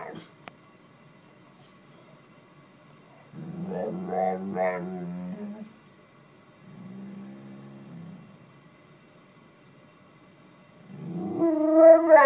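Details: Bull Terrier rousing its owner in the morning, giving three separate bursts of vocal grumbling and moaning, the last one climbing higher, with quiet pauses between them.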